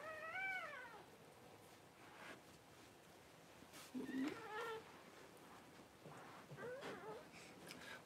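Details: Cavalier King Charles Spaniel newborns crying during Paris's first whelping, January 1: a run of thin, arched, harmonic squeals at uneven intervals, some short and clipped, others drawn out, over soft room background.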